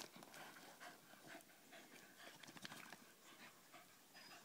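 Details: Staffordshire Bull Terrier at play with its mother; fast, breathy panting pulses roughly three per second, rough and hissy, with faint scrabbling and thumps of the two dogs moving underneath.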